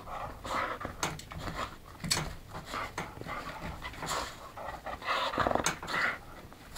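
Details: English Springer Spaniel hunting for her ball, rhythmic breathy panting in bursts with sniffing and rustling, while a woman's voice urges her on between breaths.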